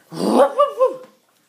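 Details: Wire-haired terrier mix dog, a rescued former stray, gives a short rough growl that rises into two quick warbling, yodel-like tonal notes, lasting about one second in a quiet room.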